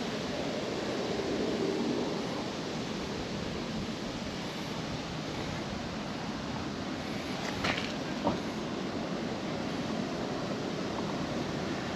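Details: Steady outdoor rushing noise, like wind or distant traffic, in a park at sunset, with a brief faint scrape around eight seconds.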